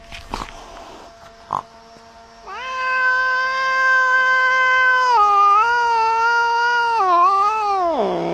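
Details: Male cat caterwauling while arguing with a neighbouring cat: after quiet opening taps, one long, steady, harmonic yowl holds for about six seconds, wavers slightly, then drops sharply at the end.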